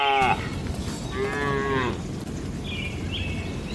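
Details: Tame cattle gathered in a farm barn pen: a short moo fades out at the start, then a longer, steady, harmonic moo follows, with soft higher calls afterward over constant low background noise.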